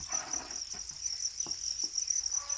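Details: Domesticated para crickets, also called black crickets, kept in a rearing setup. A steady high-pitched continuous trill holds throughout, with a few soft tapping clicks and faint low murmurs underneath.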